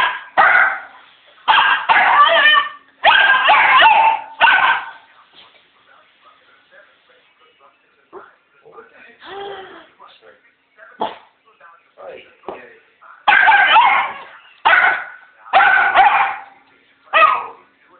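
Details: Pet dog barking at a man, giving rapid runs of harsh, loud barks in clusters at the start and end, with quieter yips, whines and human speech in the gap between.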